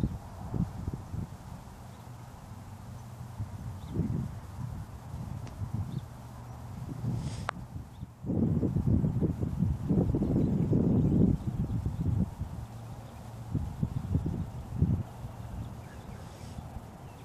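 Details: Dull, low hoof strikes from a Dutch Warmblood horse, sparse at first, then building into a loud, dense cluster midway before thinning out again, with soft rustling outdoors.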